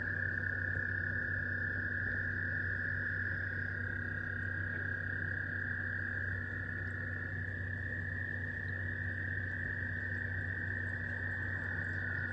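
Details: Frogs calling in spring 2023, a dense, unbroken chorus holding one steady high pitch for the whole stretch, the tone shifting slightly partway through, over a constant low hum.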